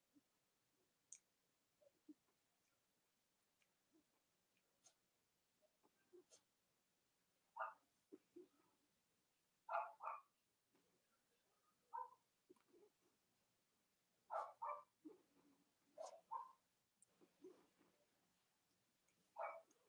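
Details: Cavalier King Charles Spaniel puppies kept indoors in the US on a cold Monday morning near Halloween, alongside three nursing mothers. Scattered soft yips and brief whiny barks come irregularly, mixed with light clicking sounds in a quiet room.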